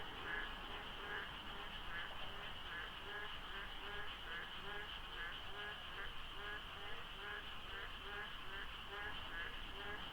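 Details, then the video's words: Frogs calling before dawn during the monsoon rains by the Deokso interchange of a highway in South Korea, light fog, little traffic; many overlapping short croaks repeat steadily in a dense chorus over a constant background hum. "장마 중인 새벽 고속도로 덕소IC에 어둠을 가득 채운 개구리 소리"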